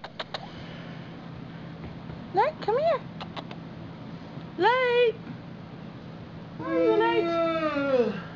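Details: Several Chihuahua puppies playing across a floor indoors give high, arching whines and yelps in three bursts, the last a long, wavering whimper of about a second and a half, over a steady low hum.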